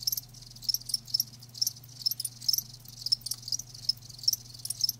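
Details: Live crickets trilling loudly, high chirps repeating in quick irregular bursts roughly every half second, with a low constant hum behind them.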